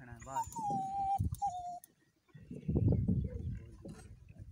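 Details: Gultari puppy, a Pakistani hunting dog used for rabbits, filmed around Islamabad: a thin, high whine sliding slightly downward for about a second, a shorter whine after it, then people talking in Hindi.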